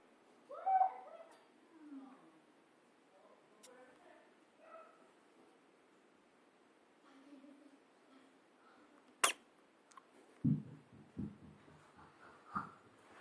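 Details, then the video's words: Henry, a pet guinea pig, sneezing when his nose is poked, captured on an HTC HD7 phone: one sharp, sudden burst stands out, surrounded by faint squeaks, soft handling noises and a few indoor voices. "Henry, the Guinea Pig, Sneezing"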